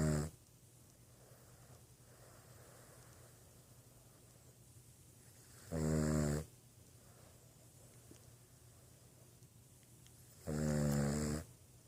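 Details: Boston Terrier asleep indoors, snoring in slow rhythm: three rasping, harmonic snores spaced roughly five seconds apart, with soft breathing and low room hum between them.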